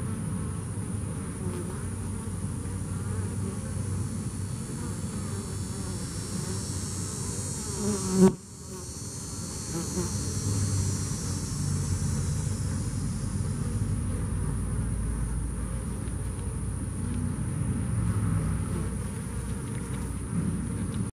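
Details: Heavy, low-pitched buzzing mass of bees that survived Hurricane Harvey, a sustained drone with one sharp thump near the eighth second before the hum resumes.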